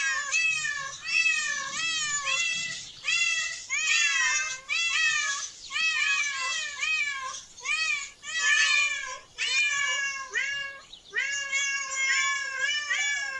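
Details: A group of cats in a park. Repeated whiny meows follow one another steadily for the whole stretch. Each rises and bends downward, with the calls spaced about a second apart.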